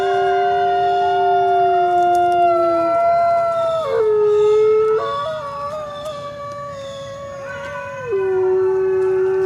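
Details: Coyotes howling together, several long sustained tonal voices overlapping at different pitches, each holding steady then stepping abruptly up or down, with a faint hiss beneath.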